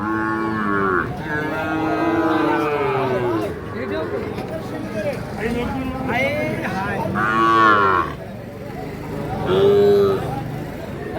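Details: Young Sahiwal bull calves on sale at Ambari cattle market, Parbatipur, Dinajpur, Bangladesh; several loud harmonic moos, some rising and falling, repeated across the stretch, with market voices and bargaining murmuring beneath.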